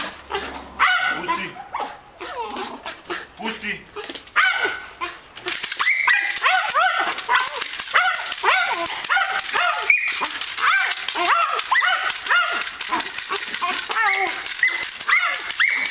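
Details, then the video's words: Malinois in guard defence and attack training, with speech and scattered yelps at first, then a loud continuous run of rapid, frantic barks and whines. "Malinois defense and attack training"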